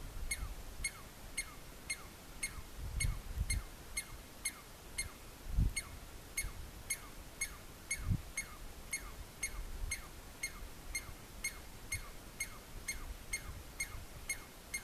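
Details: A lone male Douglas squirrel (chickaree), perched on a log at about 3,000 m in Mount Whitney Portal, Inyo, California, gives its alarm call to warn others of a nearby predator: loud, sharp chirps repeated about twice a second.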